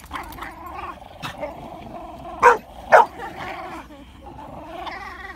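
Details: Two French Bulldogs who are best friends play-fighting with hackles up, grumbling and growling, with two sharp barks bursting out midway; finding: French Bulldog.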